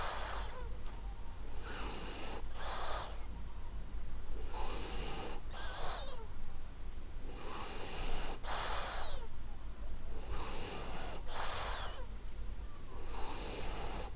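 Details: Sleeping female French Bulldog named Ariva snoring softly, rhythmic wheezing inhalations about every one to two seconds, airy and raspy with faint whistling edges, steady and calm throughout.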